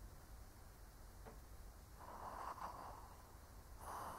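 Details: An old Shih Tzu sleeping, snoring in soft airy breaths centred in the mid range, two to three hazy snores with a quiet low hum underneath.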